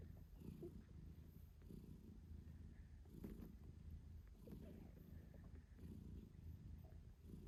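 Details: British Shorthair mother nursing her kittens 8 days after birth, purring loudly: a deep continuous rumble that swells in pulses about every second and a half, with no other clear sounds.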